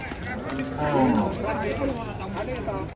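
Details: Cattle being unloaded from a truck in Indonesia give a low, drawn-out moo with a steady harmonic stack that swells near the middle and holds for about three seconds, with faint human voices and handling noise behind.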